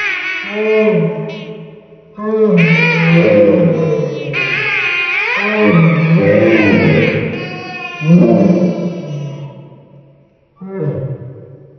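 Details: Mikey, a talkative Great Dane who howls only when playing with his squeaky balls, slowed down: deep, roaring, T-Rex-like howls in several long swelling bursts that rise and fall in pitch, ending with a short final howl.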